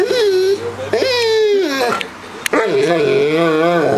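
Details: Harley, a dog, 'talking' to the cat Puddles indoors to coax her into playing: continuous wavering whine-howls that rise and dip, nearly unbroken across four seconds.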